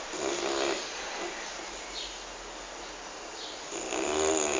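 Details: Petter, a sleeping pet dog, snoring: two raspy, breathy snore bursts, one at the start and one near the end, with a quieter stretch of soft breathing between them, all over a steady background hiss.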